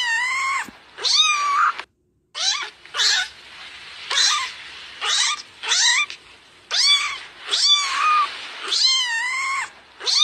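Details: Kitten meowing insistently, a string of about nine loud, high wavering cries, each rising then falling, spaced roughly a second apart with brief quiet gaps between them.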